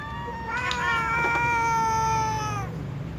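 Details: Domestic cats, a kitten and a tom among several cats, meowing before being fed: one long drawn-out meow with a clear harmonic tone, first wavering, then holding steady and falling slightly at the end, over low background hum.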